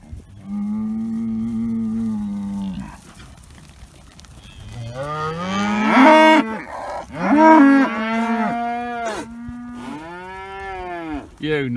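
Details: Several Dexter cattle calling at dawn for new grass, still mooing after a gate is opened; a series of loud, drawn-out moos, some rising and falling, overlapping one another over about eleven seconds.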